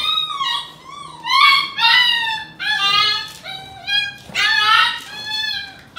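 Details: Golden Retriever mother and puppies wrestling, the mother teaching the pups to toughen up; a string of high, wavering whines and yelps comes roughly every second, some sliding up and down, inside a small room.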